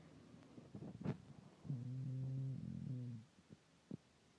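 An English Bulldog snores with a deep, droning, humming rattle between short snuffling breaths.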